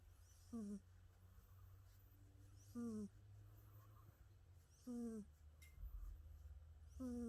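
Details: Jasper the cat asleep and snoring: four evenly spaced breaths, each a brief falling, reedy whistle with a breathy rasp, about two seconds apart against a low steady hum.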